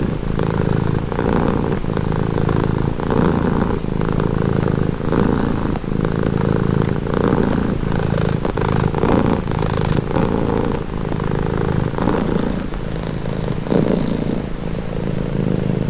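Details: Sustained purring from a domestic cat for relaxation: a deep, even rumble pulsing in regular breath cycles about every second, nearby and unbroken, with no other sounds.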